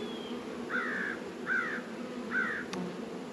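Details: Honey bees working at hives in a northern Kentucky apiary on a 72-degree February day: a steady low droning hum runs throughout, broken by three brief, higher tonal chirps spaced under a second apart.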